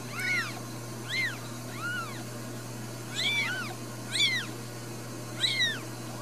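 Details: Ragdoll kittens raised in a home in central Kansas mew repeatedly, about every second, high thin arched cries overlapping at times as several call together, above a steady low hum.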